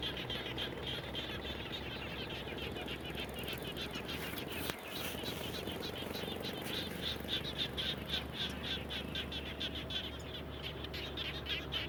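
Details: Frogs call around a home after rain with rapid, repeated high clicking pulses from several animals, a brief thump near the middle, steady low hum and hiss throughout.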